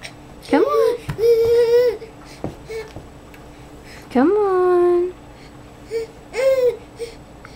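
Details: Baby coyote indoors, recorded 02/03/09 while learning to move and sometimes annoyed about it: three drawn-out nasal whines with rich harmonics, each rising then holding level for about a second, in a small quiet room with faint thumps.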